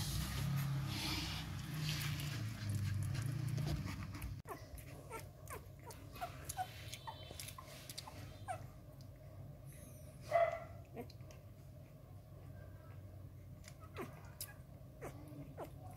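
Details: Eleven-day-old Rottweiler puppies at Gervi Kennel in Vietnam, fed milk by hand because their mother lacks milk, sucking hungrily on fingers before mealtime: rapid irregular wet sucking clicks, one short whimper midway, low room rumble fading after the first seconds.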